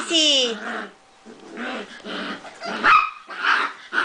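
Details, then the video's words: Prague ratter named Sissi playing indoors: a whiny, falling yelp opens, then a string of short sharp yips and barks in bursts about half a second apart, while a woman speaks Swedish close by. "Prazsly Krysarik playing and making noises"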